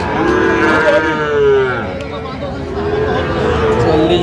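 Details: Sahiwal bull calves at the Aftabganj cattle market, 16 August 2025, with Dhaka farmers buying. Long, steady lowing moos are heard, one near the start and another later, over busy market talk.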